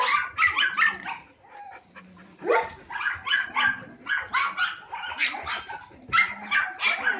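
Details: Three-and-a-half-month-old Samoyed puppies giving sharp, high yipping barks in rapid clusters, a short lull near the start, then steady repeated barking.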